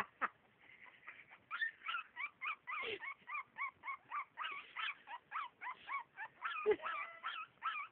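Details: A howling Havanese gives a fast chain of short warbling notes, about four per second, each swooping up and down, with brief sharper yips mixed in and a few quiet spoken words.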